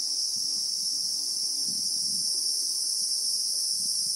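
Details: Real-time bushveld recording from South Africa: Christmas beetles (Anoplognathus) give a ringing high drone without breaks, while quiet low rustles and bumps come and go beneath it.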